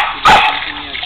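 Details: A single loud, sharp bark rings out during play between a Rhodesian Ridgeback and a berger podal, with a steady background hum before and after.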